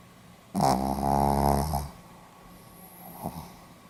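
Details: Pomeranian asleep, date 4 November 2015: a single loud, raspy snore lasting over a second, a steady vibrating buzz with strong low rumble, then a faint short exhale in a quiet room.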